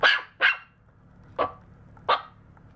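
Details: Maltese (Canis lupus familiaris) puppy, 52 days old, recorded 29 October 2018 on cushion flooring, gives four short, high yapping barks spaced unevenly over about two seconds.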